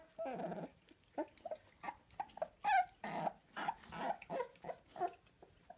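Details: Whimpering two-week-old American Staffordshire Terrier puppies from a litter: irregular short squeaky and grunting cries, some with a wavering tone, spaced by brief pauses.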